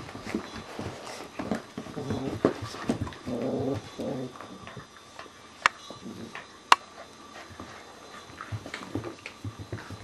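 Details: Two dog puppies playing, a 14-week-old Italian Greyhound and a 5-month-old Ibizan Hound, give short whimpering and growly vocal bursts amid scuffling, thumps and clicks of movement in a small room.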